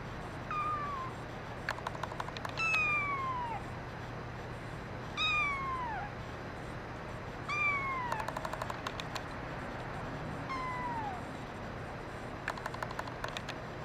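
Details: Male brown mackerel tabby kitten mewing repeatedly, about five high, falling cries spaced a couple of seconds apart, each bending down at the end, with bursts of sharp clicking between them and a faint hum underneath.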